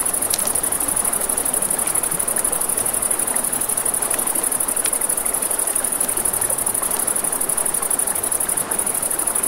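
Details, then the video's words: Crickets at night beside a river: a steady high, thin trill runs unbroken throughout, over a rushing-water hiss and scattered sharp crackles and pops from a campfire. "Campfire by the River at Night Ambience | 1 Hour of Crackling Fire, Crickets, Ambient Nature Sounds"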